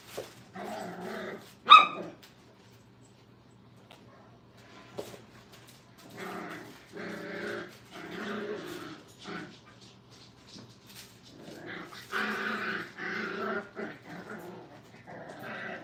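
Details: Five-week-old Brittany puppies in a kennel during crate training: bursts of high, harmonic whining and short yips, with a sharp yelp near the start, then clusters of overlapping cries separated by brief quiet gaps.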